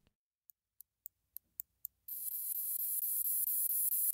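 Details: A Northern Bush Katydid (Scudderia septentrionalis), a common Midwest and Illinois species, sings a run of sharp, high ticks that speed up, then break into a steady hiss. Its song is slightly more active ticking interspersed with buzzing.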